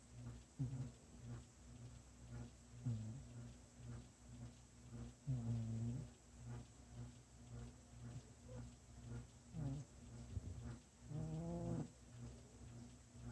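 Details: Domestic cat snoring indoors: soft, low rasping breaths at irregular intervals of two to four seconds, faint beneath a steady electrical hum.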